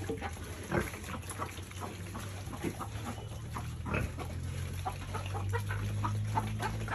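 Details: Farm-raised piglets eating at feeding time give low, rapid, irregular grunts and wet chewing noises, with a droning low hum rising toward the end.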